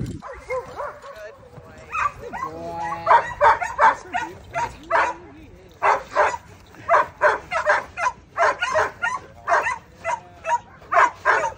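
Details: German Shepherd aged nine months working on a two-man attack drill, giving a rapid run of sharp, evenly paced barks, nearly three each second, after a brief pause.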